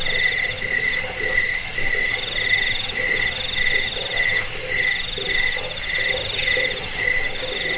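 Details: Crickets recorded as a rat-repelling, sleep-inducing track also used for bird training. Dense chorus of shrill chirps pulses roughly twice per second, several callers overlapping at distinct pitches under a faint background rustle.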